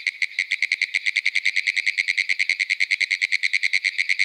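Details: Pinewoods treefrogs (Hyla femoralis) call from young pines at a small pond edge in Ocala National Forest, Florida, a fast, steady run of dry, clicking taps like rapid Morse code.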